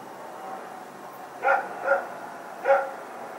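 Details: Barking at night on Sep 21, 2018 while Rex and a companion dog run around: three loud, harmonic barks, two close together, then a third after a short pause, over a steady low hum.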